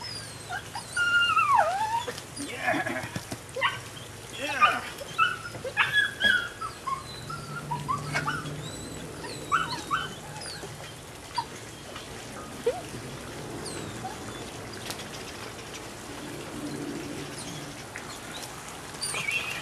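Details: Female Rodin/Katana puppy aged nine weeks: high falling whimpers and yelps come in a cluster over the first seconds, then thinner scattered whines, with human voices and a low hum in the background.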